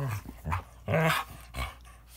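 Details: Fighting Toy Manchester terrier and Standard poodle: a quick run of harsh snarls and growls, one louder tonal snarl in the middle, all within two seconds.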